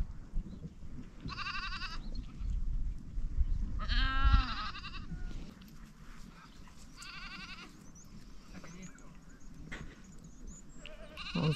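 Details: Goats near a caravan campsite in Turkey, watched by a camp dog, giving several wavering, quavering bleats spaced a few seconds apart, one louder and nearer, with faint wind and rustling in the background.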